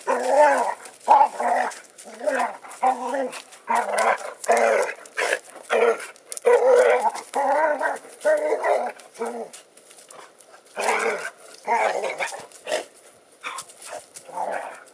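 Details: Two dogs, Jake and Lacy, playfighting and chasing around the yard; he is loud, she quiet, with about 30 lbs between them. Steady run of gruff, rasping growls and short barks pulses roughly every half second to second, with brief pauses.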